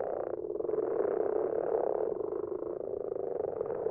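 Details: Common frogs (Rana temporaria) in a garden pond, recorded at night, where their numbers grow each year, give low, purring croaks that merge into a steady, grumbling chorus.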